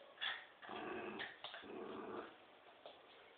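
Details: A Poodle and a Dobermann playing tug of war: rough, raspy growls in two sustained bursts of about half a second each, followed by a quieter stretch with faint rumbling.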